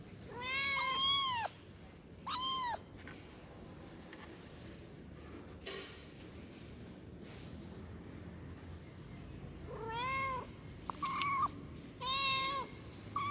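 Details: High-pitched meows from a kitten calling its mother, coming in clusters: two at the start, then after a quiet stretch with a faint click, a run of three or four shorter, bright meows near the end.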